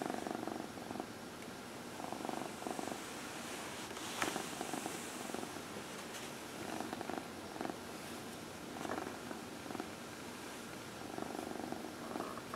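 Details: Fourteen-year-old cat Dinah, massaged during early evening lap time in April 2020, purrs steadily; the rumbling purr rises and falls with her breathing, joined by a brief rustle and faint handling sounds indoors.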